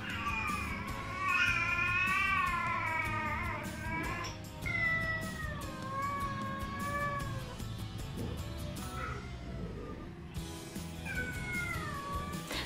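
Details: Rescued feral cat family of three meowing indoors in the morning in anticipation of wet food; long wavering, drawn-out meows from several cats overlapping, some rising then falling, a brief pause before more calls resume, with background music.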